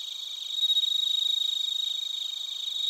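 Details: Chorus of bell crickets and crickets from Narita, Chiba Prefecture, Japan, a close, loud, shrill high trill pulsing rapidly and without pause, backed by fainter steady ringing insect tones.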